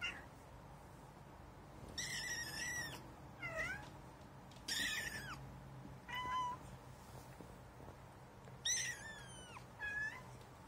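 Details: Young kitten at its first encounter with cat litter; five insistent high mews with rich harmonics, some rising then falling, spaced one to two seconds apart, over faint rustling.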